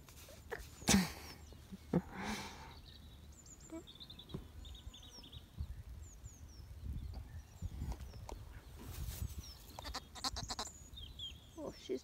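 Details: Lamb in Ireland in spring, rowdy and wanting attention, disturbing a resting companion: a couple of short, harsh bleats early on, then rustling and knocks, with small birds chirping high in the background throughout.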